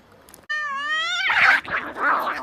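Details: Fierce cat fight: a sudden loud, steady, tonal yowl with a slight rising bend lasts about a second, then breaks into rough, hissing screeches.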